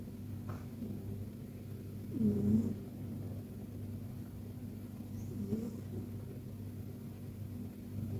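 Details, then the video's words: Persian cat asleep in a deep, cozy nap, giving soft little snores: two gentle, breathy rasps roughly three seconds apart over a steady low indoor hum. "Persian Cat Snoring Like a Baby!"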